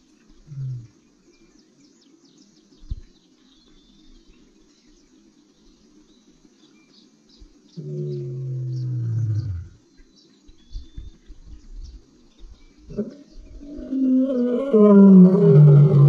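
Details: A black-maned lion in the Central Kalahari Game Reserve, Botswana, gives deep, moaning roars that swell and fall in pitch, with faint birds behind.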